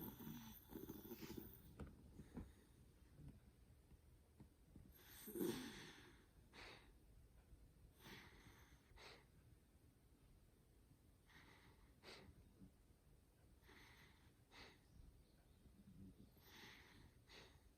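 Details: Sleeping black dog, cozy and snoring: a string of breathy, wheezy puffs every second or two, one louder snort around five seconds, then softer rasping breaths fading toward the end in a quiet room.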